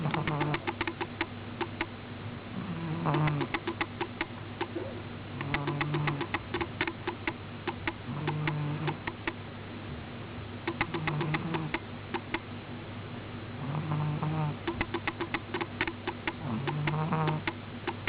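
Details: A cat named Miina sleeping soundly and snoring: low, rumbling snores recur roughly every three seconds, each a short droning breath with a rattly, clicking texture over a steady low hum.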